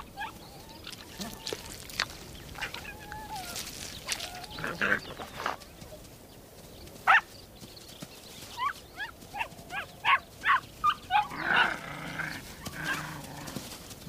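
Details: Ethiopian wolf pups mobbing returning hunters until the adults regurgitate food: scattered high whines and squeaks, then a run of sharp, rapid yelps and clicks in quick succession, with rustling and scuffling throughout.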